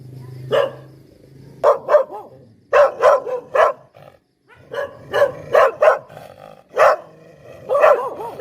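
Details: Poodle giving spaced, loud barks, some in close pairs or threes, separated by short gaps of near quiet and a faint low background hum.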